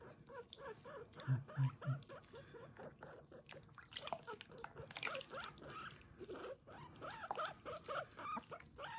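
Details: Kurumi, a pet guinea pig, squeaking "puipui" during her bath while being washed: rapid series of short arched squeaks, several per second, with dripping water and faint low tones in the background.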